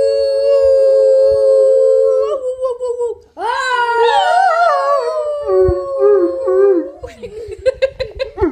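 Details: English Mastiff howling in a series of wavering, sliding tones, some steady and some warbling up and down, with short breaks between phrases and a few choppy yelping notes at the close.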